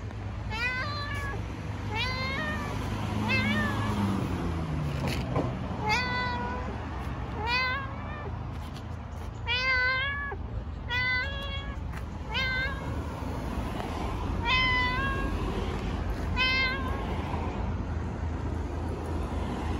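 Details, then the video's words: Stray cat in Istanbul, talkative, meowing over and over: about a dozen short harmonic meows in quick series, some rising then falling, over a steady low traffic-like rumble. "Cute talkative cat meows unbelievably"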